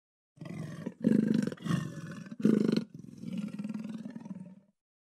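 A snow leopard gives a series of deep, rasping, roar-like moans in quick succession.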